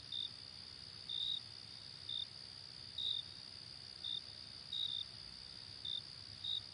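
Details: Crickets at night: short high-pitched chirps repeated about every second, some doubled, over a steady high-pitched hum of more insects.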